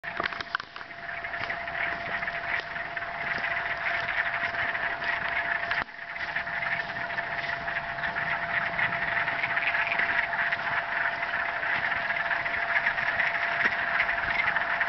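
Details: Frogs giving a mating song in a marsh at Mills Block Forest, Thunder Bay: a dense, continuous chorus of fast, trilling croaks blending into a steady buzzing wall of sound, with a short dip near six seconds before resuming.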